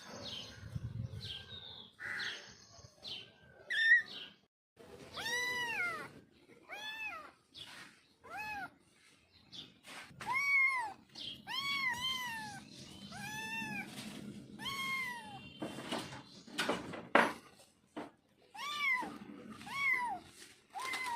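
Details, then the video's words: Baby kitten meowing again and again, clear high arching mews that rise then fall, often in quick pairs or runs, with rustling and handling noise at the start. "Cat Kitten Voice"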